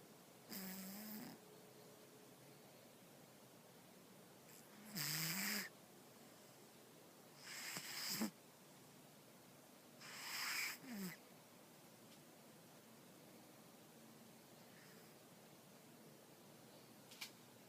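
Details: Soundly asleep, the cat Stella snores in a slow series of four raspy, airy breaths, some ending in a brief low whine, followed by a long quiet stretch and a small click near the end.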